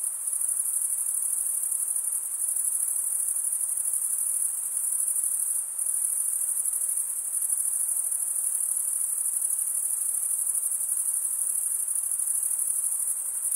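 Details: A steady chorus of crickets forms a piercing, high-pitched drone, with one brief dip in level near the middle before the shrill trill resumes unchanged; nothing else audible.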